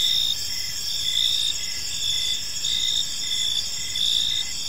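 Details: Crickets chirping in a peaceful park at evening, a dense layered chorus of steady high trilling bands with pulsed chirps repeating about every second over faint low rumble.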